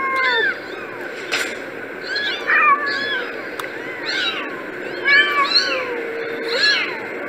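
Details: Several kittens mewing together in a busy chorus of thin, overlapping cries, each a quick rising-then-falling squeak, with roughly one burst every two seconds over a soft, steady background murmur.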